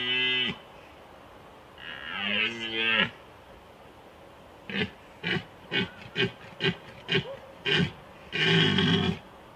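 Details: Rutting red deer stag, Small Fatra, Slovakia, 2021: short and longer bellowing roars, followed by a run of about eight rhythmic, coughing grunts spaced roughly every third of a second, then one final longer roar.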